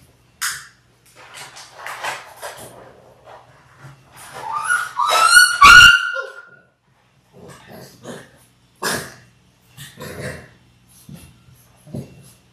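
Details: Indoor live puppy cam of six Labrador Retriever puppies born January 18, 2022, now six weeks old on February 28: scattered soft yips, then a rising, wavering whine climbing to a shrill cry mid-clip, followed by quieter short yaps.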